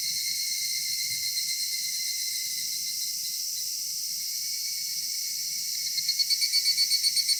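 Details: Summer dusk chorus of cicadas in a cedar forest, an unbroken high shimmering buzz that turns into rapid rhythmic pulses near the end, with quiet low background murmur.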